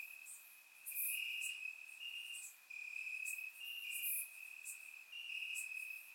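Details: Crickets in the grass of a warm summer night, Bulgaria, captured with a surround microphone: unbroken high ringing trills, two or three insects overlapping in pitch, with scattered crisp ticking notes.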